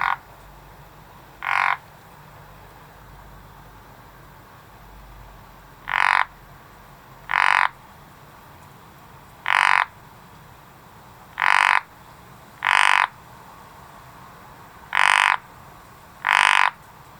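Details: Frog calling in a garden: single loud rasping croaks, each about half a second long, spaced one to four seconds apart over a low steady background hum.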